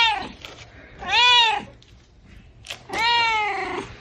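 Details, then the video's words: Kittens meowing indoors: two long, harmonic-rich meows, each rising then falling, about two seconds apart, with short fainter squeaks and light room noise between them. "Kittens meowing - funny cat sounds"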